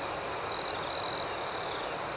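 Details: Crickets chirping at night: two short, bright, buzzy trills from a nearby caller, the second longer, stand out against a steady high-pitched background chorus of pulsing chirps.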